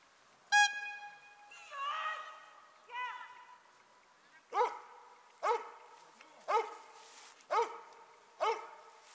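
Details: A Dobermann in Ring 2 attack exercises. A sharp tonal whistle-like blast opens, then a few drawn-out barks follow, then a run of short, punchy barks roughly once per second.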